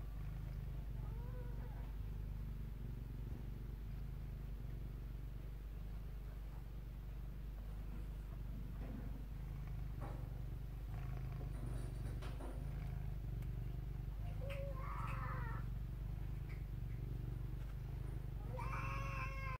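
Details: Senior Domestic Shorthair cat, a sweet older female up for adoption, purring: a steady low rumble in repeated pulsing cycles of about one per second, with brief higher tonal sounds breaking in near the middle and end.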